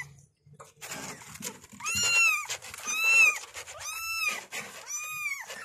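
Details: Kittens meowing for their mother, four loud arched mews roughly one second apart, each rising then falling, against a noisy indoor background.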